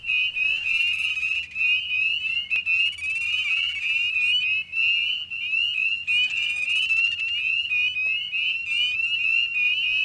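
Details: Spring peepers at night in spring 2009, Connecticut, in dense chorus, with the alternate call: high fluttering trilled chirps from two males competing for the same spot on a log, prime turf for attracting a mate.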